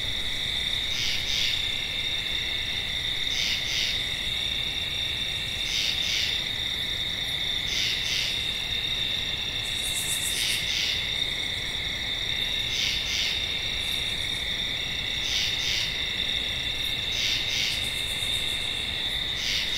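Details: Tree frog giving short paired notes, a quick double call repeated about every two to three seconds, over a steady high insect drone with occasional higher pulsed trills.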